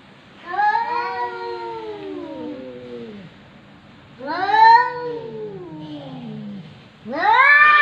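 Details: Three drawn-out meows from a so-called talking cat, filmed in 2020: each starts high and glides downward, the last one rising sharply. A faint low hum sits underneath.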